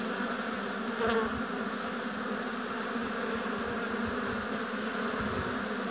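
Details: Honey bees humming steadily at a hive in an apiary, a dense continuous drone with layered low tones, unbroken throughout with only slight swells in loudness.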